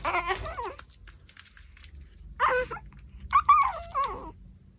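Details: Pomeranian eating a raw pork backbone indoors; short high whining whimpers with rising and falling tones in three bursts, separated by quiet chewing sounds.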